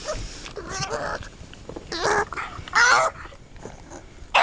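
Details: A pug making weird noises: short strained, whiny vocal bursts with a nasal, harmonic tone, the loudest near the middle, separated by quieter snuffling breaths, with a sharp burst at the very end.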